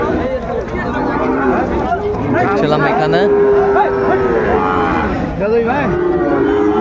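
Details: Sahiwal bull at a Dhaka cattle market, Bangladesh, 14 February 2025, a young animal said to be eight or nine months old; one drawn-out, steady moo of about two seconds mid-clip, set against constant crowd chatter and men bargaining nearby.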